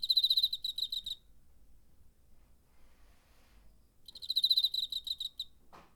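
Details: A cricket sings in September 2019, recorded on a DR-05: a shrill pulsed trill opens, silence follows, then a second rapid burst and a brief soft rustle at the end.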